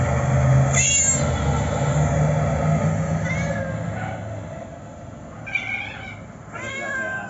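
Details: Siamese cat playing among piles of wooden chairs, giving a few short, rising-and-falling meows spaced several seconds apart, over a steady low rumble with a person talking softly nearby.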